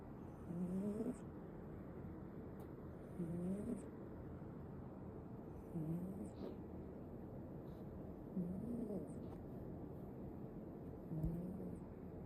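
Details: Ragdoll kitten, male, snoring while asleep: soft nasal snores with a slight upward wobble, repeated about every two and a half seconds over a steady low hiss.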